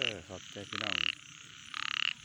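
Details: At night, a frog gives two short buzzy bursts with a bright tonal core, spaced about one second apart, after a few quick lower harmonic croaks.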